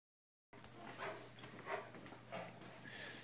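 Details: Niky, a Rottweiler x Akita crossbreed dog, in a small pub during an autumn dog-training camp at Zbraslav near Brno, Czech Republic, October 2016; breathy, hissing bursts come roughly every half second to second over a steady low hum.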